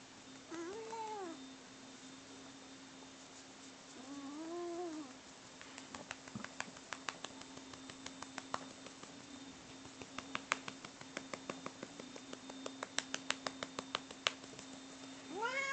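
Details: Cats Bono and Mickey in a fight: rising-falling yowls at the start and again midway, then a run of sharp clicks and taps, with a yowl swelling at the end over a constant hum.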